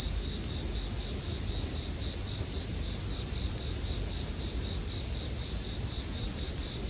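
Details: Bell cricket song forms a constant bright, ringing band of sound, paired with quiet fire noise and a low rumbling bed; no breaks in the insect chorus.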